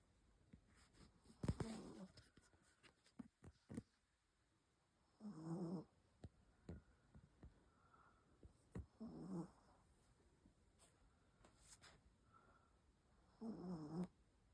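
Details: Chihuahua asleep indoors, snoring her head away; soft rasping snore breaths every four seconds or so, with faint rustles between.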